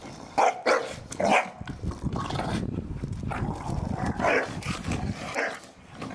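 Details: Several Staffordshire Bull Terriers playing in a garden, tearing apart a ball given as a Christmas gift: a few sharp barks early on, then rough growling and scuffling noise throughout.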